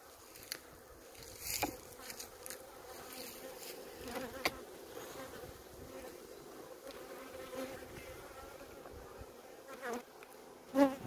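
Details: Honey bees at a hive in Maine-et-Loire, France: a soft, steady buzzing hum from the colony, broken by brief clicks and handling knocks, with a man's voice nearby.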